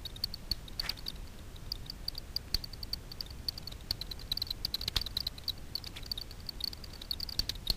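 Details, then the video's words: Daubenton's bats feeding on insects from the surface of Miedwie lake, north-west Poland, at night, recorded with a frequency division ultrasound detector. Fast, crackling series of clicks, pulses crowding together in places, over faint low hum. "Daubenton's bats foraging over a lake (night vision scope with ultrasound detector)"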